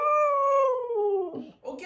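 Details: Female pet Siberian Husky indoors, being taught to dance and vocalising back; a single clear tonal howl-like note held about a second, slowly falling in pitch with strong harmonics, then breaking into rough short sounds.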